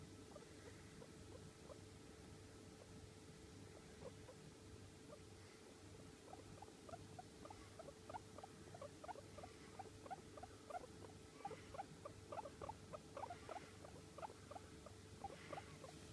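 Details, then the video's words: Long-haired pet guinea pig, American Silkie or Sheltie, calling quietly: faint short squeaks, sparse at first, then a quick irregular series through the second half, over a steady low electrical hum. "毛長 モルモットの鳴き声"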